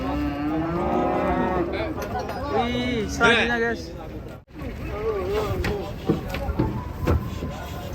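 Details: Several cattle, large fattened cows, unloading from a truck in Indonesia, mooing repeatedly in long, low, wavering bellows that overlap one another, with background music playing throughout.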